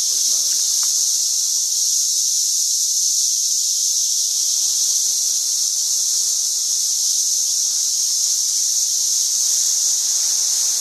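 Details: Countless cicadas in a St. Louis swarm in 2011, their combined calls forming a relentless high, hissing drone of unchanging intensity, with a few faint low thumps beneath.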